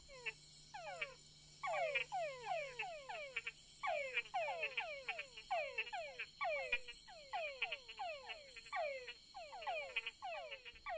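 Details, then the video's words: At night by forest creek beds on Barro Colorado Island, Panama, a chorus of male túngara frogs courting females gives rapid, overlapping, downward-sweeping whines while frog-eating bats listen. "Male tungara frogs use the cover of darkness to court females. Their mating calls fill the forest."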